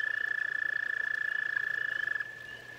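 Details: Toads at a pond: a loud rapid trill of quick pulses stops abruptly after two seconds, leaving a softer, steady trill from another toad continuing behind it.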